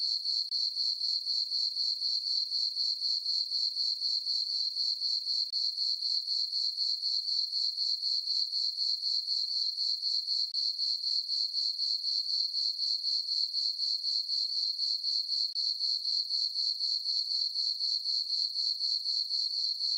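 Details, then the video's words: Summer night chorus of crickets in a moonlit farm meadow, a continuous shrill chirping that pulses evenly around four times per second throughout, nothing else audible. "Cricket chirping sounds for sleeping - sleep and relaxation nature sounds at night"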